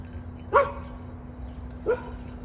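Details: A dog tagged as a Redbone Coonhound, Carolina dog and American dingo reacts to "something in the air" with two short, mid-pitched yelping barks about a second apart over a steady low hum.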